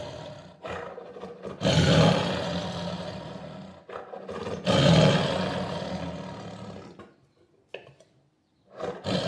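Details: Two long, rasping tiger roars about three seconds apart, each rising abruptly to a loud, deep, gravelly peak before trailing off, followed by quiet breaths and a brief final grunt.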